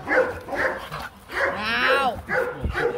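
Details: Rottweilers Marvin Gervi, a champion stud male, and Kacyno Gervi at a mating session in Hanoi, Vietnam, the male courting a difficult female; short sharp barks at uneven intervals, a rising whine midway, a man talking in Vietnamese throughout.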